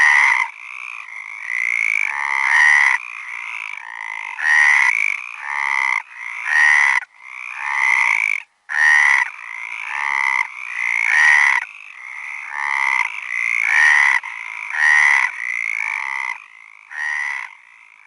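Frogs call in a dense chorus of nasal, rattling croaks that come in quick, overlapping bursts.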